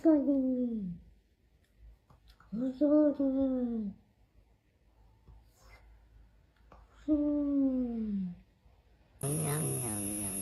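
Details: Kitten meowing to attract cats: three drawn-out, downward-sliding meows about two seconds apart, each falling in pitch over roughly a second, followed by a burst of bright music-like sound at the end.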